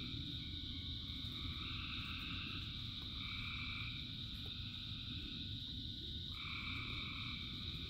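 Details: Thousands of frogs calling together in the rain, a continuous shrill chorus layered in several pitches, with some layers switching on and off every few seconds, over steady rainfall noise.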